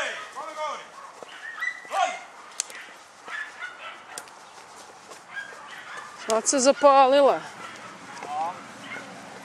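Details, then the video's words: Dunja, a German Hunting Terrier, working a wild boar: scattered yips early on, then a loud burst of rapid, wavering, high yelping barks, with people talking in the background. "DEUTSCHER JAGDTERRIER DUNJA VS WILD BOAR-DUNJA NA VEPRA"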